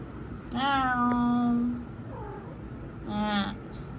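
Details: One of two kitty cats playing together gives a long, steady, nasal meow lasting over a second. A short, faint mew follows, then a second shorter meow near the end, over a constant background hum.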